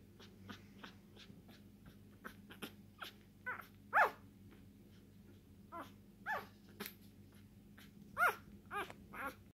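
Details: A one-day-old male English Bulldog puppy, lilac tri merle, born 27 September 2019, gives thin, squeaky whimpers in short, irregular bursts over a low steady hum.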